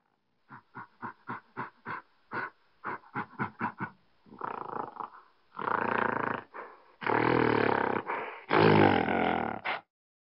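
A gorilla gives about a dozen quick, hollow thumps in under four seconds, then several long, loud, rough roars and growls.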